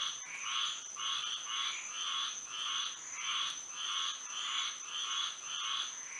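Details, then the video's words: Florida frogs calling at night in moonlight, with about ten evenly spaced, harsh croaking bursts at a steady, even rhythm over a continuous high-pitched drone. "A frog symphony to sleep and relax to"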